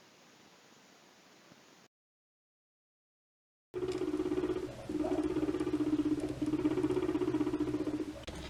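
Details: A contented, relaxed guinea pig eating favoured food gives a low, steady rumble, a rapid throbbing buzz pulsing about four times a second. It is described as a way of saying thanks.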